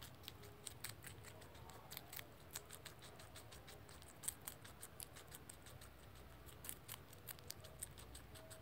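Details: A young rex guinea pig munches celery, producing a steady stream of fine, sharp crunching ticks, a few per second, with occasional stronger snaps against soft room noise.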